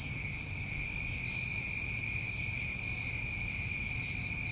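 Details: New England crickets on a summer night give a constant, shrill, multi-layered trilling with gentle pulsing in the highest layer and quiet low-pitched background noise.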